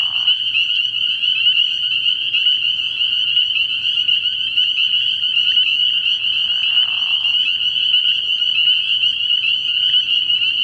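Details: Early-year night chorus of many spring peepers at a frog pond, their high piercing peeps merging into one continuous shrill band, with a brief lower rasping sound near the start and another around the seventh second.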